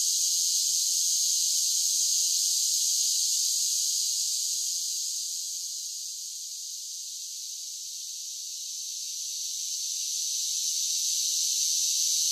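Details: Summer cicadas singing in a dense chorus: a steady, high, hissing drone that fades somewhat in the middle and swells back to full strength, with no other sounds.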